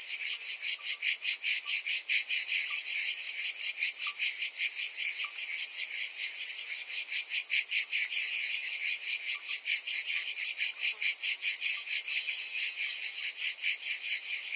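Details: Long stretch of summer cicada song, an unbroken high electric buzzing that throbs about two and a half times per second, with faint scattered chirps lower in the background.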